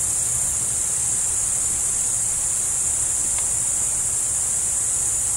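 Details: With a roe deer nearby, crickets keep up an unbroken shrill, hissing chorus at constant level; a single short click sounds a little past three seconds, and a low murmur lies beneath.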